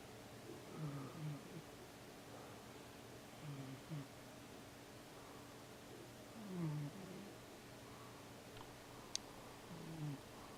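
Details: Siamese cat asleep and moving in his sleep, dreaming indoors; soft low snoring breaths recur about every three seconds, each a short rough rasp with a faint rising tail, over steady room hum.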